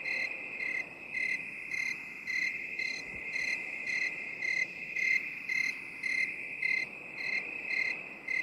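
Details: Cricket chorus, binaural 8D for relaxation: crisp, evenly spaced high chirps repeat about every 0.6 seconds, around thirteen in total, riding on a steady shrill trill, with a faint hiss underneath.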